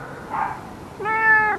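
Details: Ginger male rescue cat, nearly nine years old, gives a single steady, harmonic meow of about half a second, preceded by a brief soft murmur, indoors with a person nearby.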